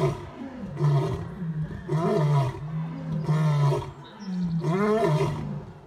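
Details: Male lion's deep grunting roars, about four in six seconds, over a steady low rumble; one of three big males compared for who roars loudest.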